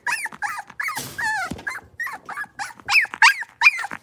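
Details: Young blenheim Cavalier King Charles Spaniel puppies from a New Year's litter of five in their new big pen, giving steady high whines that rise and fall, about eleven in four seconds, with one rougher squeal near the middle.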